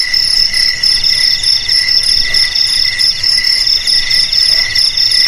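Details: Crickets chirp in a thick, unbroken chorus of high ringing trills, the loudness rising and falling in brief beats roughly every half second.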